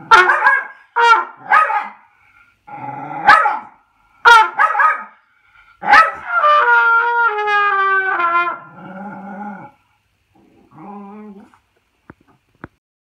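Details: Jack Russell Terrier that cannot stand trumpet practice: several sharp barks in quick succession, then a long wavering howl sliding downward in pitch, fading into softer whines, with brassy trumpet tones mixed in.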